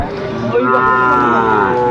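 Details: Sahiwal cattle among young bulls offered to a Chattogram farmer in Bangladesh on 17 December 2024: one steady, drawn-out tonal moo lasting about two seconds, with a faint murmur of voices behind it.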